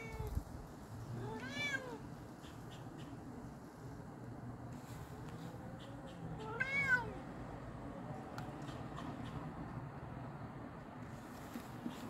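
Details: A cat calling another cat, giving two drawn-out meows about five seconds apart, each rising then falling, over a steady low background hum and faint ticking noises.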